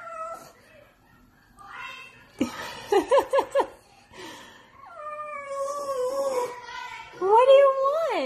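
A French Bulldog begs for food with a quick run of yelping grumbles, then long, drawn-out whines.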